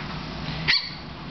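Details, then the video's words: Odysseus, a puppy, answers the dominating dog Penelope during play with a single high, squeak-like bark lasting a fraction of a second, set against quiet indoor room tone. "odie puppy bark"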